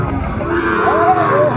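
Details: Sahiwal bull calf at a Chattogram cattle market, Bangladesh, 13 December 2024, as farmers haggle and buy: a short arching moo that swells and dips under loud bargaining voices of traders.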